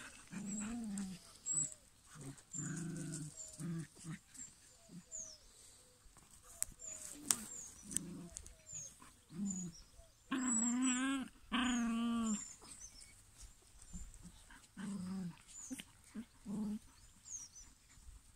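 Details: Six-week-old Maremma Sheepdog puppy giving short low whines and growly yelps in uneven bursts, with two longer wavering howl-like cries in the middle; faint bird chirps and rustling around it.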